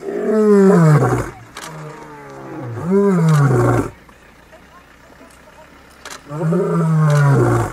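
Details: Wild lions, described as playful big cats, give deep moaning roar-growls: three drawn-out rumbling calls, each about a second long, with falling and rising harmonic tones, separated by short pauses and a quiet stretch.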